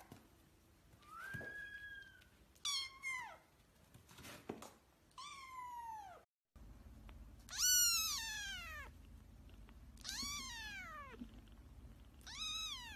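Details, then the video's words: Several cats meowing in a compilation of short harmonic calls, some rising then falling, others sliding steeply downward, with a brief cut of silence midway and a low background rumble. "Cute Cats Meowing Compilation"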